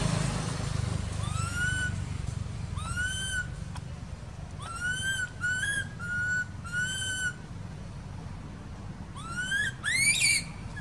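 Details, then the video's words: Baby monkey living in an archaeological park, crying while ignored by its mother: about eight short whistled cries, each sliding upward and holding, in irregular bursts, the last ones more urgent, over a steady low rumble. "Poor Baby Monkey Crying"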